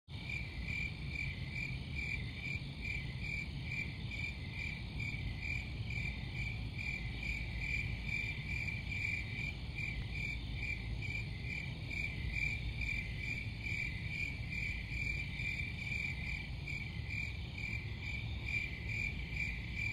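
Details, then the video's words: Crickets chirping steadily in a dense, continuous chorus, a high pulsing band of chirps repeating about twice a second over a low rumbling background noise. "Crickets Sound"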